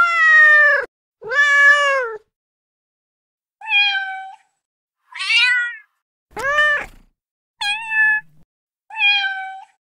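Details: Kittens meowing in a quiet setting: seven separate meows over ten seconds, each a short, clear, rising-then-falling cry with rich overtones, spaced by brief silences, some longer and drawn out, others clipped.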